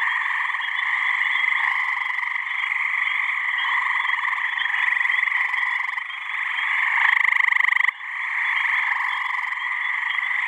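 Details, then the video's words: Warm spring evening in a New Hampshire pond, a deafening chorus of calling male gray tree frogs seeking mates; continuous layered trills swelling, with one nearby frog's loud trill near the seven-second mark. "Gray Tree Frog mating call"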